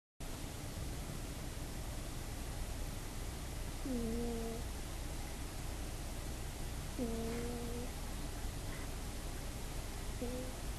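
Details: Female domestic cat asleep on a bed, snoring in a way that sounds slightly like farts, recorded on an iPod: three drawn-out, tonal, buzzy snores about three seconds apart over a steady background hiss.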